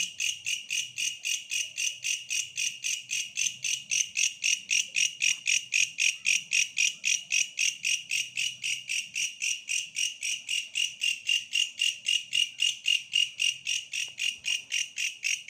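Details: Shrill pulsing chirps of a bush cricket, close to four bursts each second in an even beat, over a faint low rumbling hum in the background.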